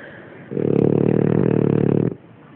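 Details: Sleeping French Bulldog Kina gives one rattling, fluttering snore of about one and a half seconds, low and gravelly, between soft breaths.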